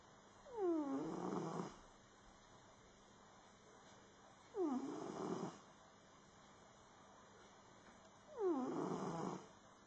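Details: Snoring cat in deep sleep: three rough, rasping breaths about four seconds apart, each starting with a brief downward-sliding tonal squeak that turns into a buzzy, noisy snore about a second long, with a soft background hiss between them.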